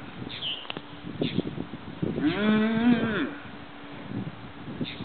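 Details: Mother cow defending her baby calf from a group of vultures on a farm field, filmed on zoom from a neighboring property: a single drawn-out, harmonic-rich moo lasting about a second, mid-clip, amid scattered high bird chirps and rustling thumps.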